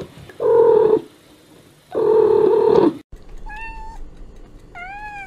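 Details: Domestic cat calls: two loud, long, flat, strained meows about a second apart, followed by two thin, higher, clear meows, the last one rising then falling, in a quiet indoor setting.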